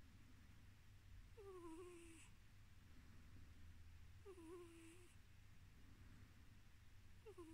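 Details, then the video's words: Drowsy house cat Tiz, a male, keeps up a soft low purr as his nose makes high squeaking whistles that dip and fall in pitch. Three of them come roughly three seconds apart in a quiet room. "My cat makes funny noises when purring"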